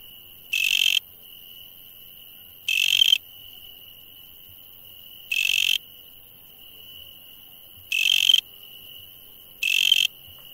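A night insect gives short, harsh buzzing bursts at uneven intervals of two to three seconds.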